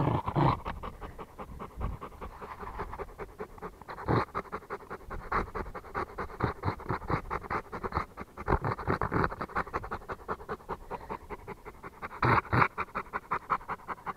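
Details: Close, rapid panting from a Rottweiler, rhythmic breathy bursts, with a few louder huffs at about two, four and twelve seconds.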